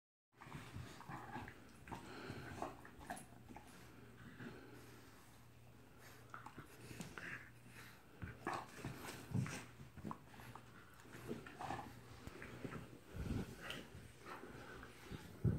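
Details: A Great Dane and a French Bulldog snort, grunt and breathe heavily in short bursts while playing keep-away with a plush bone indoors, with a low steady hum behind.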